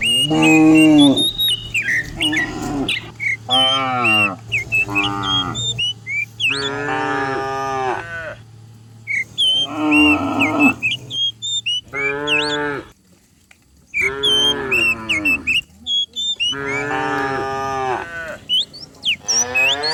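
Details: Dozens of cows herded down a hill in the morning in the countryside; repeated harmonic moos from several animals, some long and some short, with bird chirps and whistles above.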